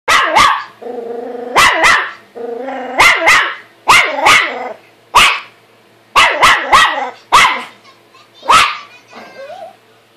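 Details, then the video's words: Pet dog named Buddy barking at his own reflection in a mirror: sharp, loud barks in pairs and singles, interleaved with drawn-out whining growls between bursts. "My dog buddy barking at himself in the mirror!"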